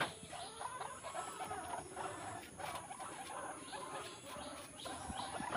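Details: Baby guinea pig drinking milk from its mother, giving soft, faint squeaks and low murmurs scattered through steady rustling and a constant high background hiss.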